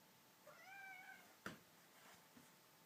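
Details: Kitten with a full stomach after a meal, unable to stop hiccupping indoors: a faint, soft, wavering meow, then one sharp, abrupt click-like hiccup, with a fainter tick shortly after.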